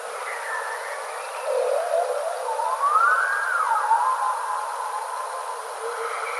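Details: A bowhead whale, on a passive acoustic recording from the Canadian Arctic, sings a drawn-out, siren-like moan that climbs, arches and slides back down, with lower groaning notes before and after, over a constant background hiss.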